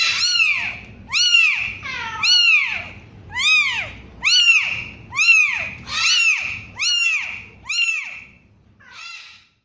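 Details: Week-old kitten crying in loud, piercing meows that sweep up and down, repeated about once a second, the last call softer and shorter as the series fades.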